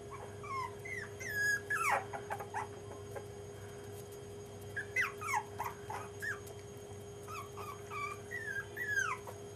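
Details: Jack Russell Terrier puppies, five and a half weeks old, giving high, thin whimpers and squeaky yips. The cries rise and fall in short bends, come in loose bursts through the clip, and carry over a steady low hum.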